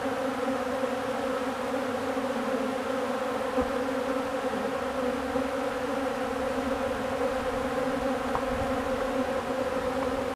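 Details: A steady drone from many honeybees feeding on old comb lasts the whole stretch, low-pitched and even, with a ringing overtone and only tiny ticks now and then.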